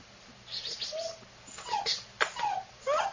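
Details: Female black-and-tan longhaired AKC Dachshund puppy whimpering: short, thin whistled whines that slide up and down, in several quick bursts with gaps between.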